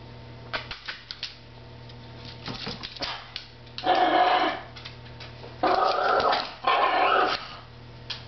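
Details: Chunky pet Chihuahua growling indoors at another dog under a table; quiet at first with a few soft clicks, then three harsh, raspy growl bursts of about a second each, with short pauses between them.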